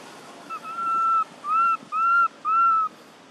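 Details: Baby monkey Thona, living in an archaeological park, calls for its mother Tara after losing all its friends: four clear, drawn-out whistled coos at steady pitch, each under a second long, separated by short pauses, over a soft background hiss.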